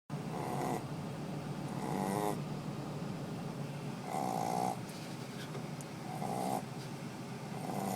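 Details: Bebo, a Shih Tzu, snores while in deep sleep: soft rasping breaths repeat about every two seconds, each inhale a brief buzzy rumble over a steady low background hum.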